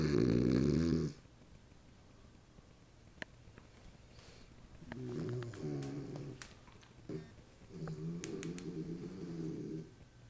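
A French Bulldog snores in low, rumbling bursts, each breath a rough, fluttering drone.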